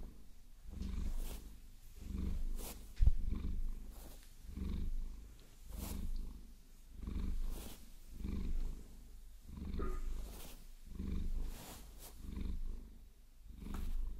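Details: Pet Maine Coon named Vasilisa purring during a long-nail massage, low rumble rising and falling roughly every one and a half seconds, with soft scratching strokes and one loud tap near the start.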